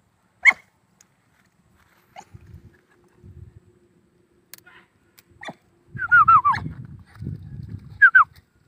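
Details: Hunting dog of the old Vietnamese native dog line, giving a short isolated yelp, then a cluster of high, sharply falling yelps near the end and a final pair, over low rumbling and thudding noises.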